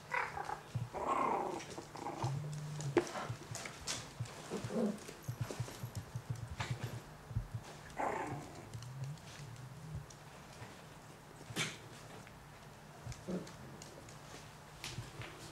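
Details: Yorkshire Terrier at a Warsaw kennel in Poland, with scattered short growly yips and rough bursts at uneven intervals among soft background noise and a little indoor handling sound.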